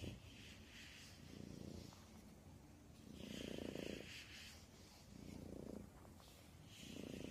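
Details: Domestic cat purring in a steady rumble, with broad breathy swells rising and fading about every one and a half seconds as it breathes in and out; low continuous hum underneath.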